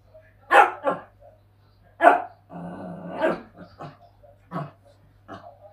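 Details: A Shih Tzu puppy wanting to play with its resting father gives short, sharp playful yaps with a rumbling growl between them.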